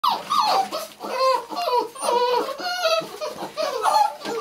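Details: Six-week-old Labrador Retriever puppies let out of the house to feed, filmed on a Canon 500D: overlapping high whiny whimpers and yelps, sliding up and down, several pups calling at once in quick irregular bursts.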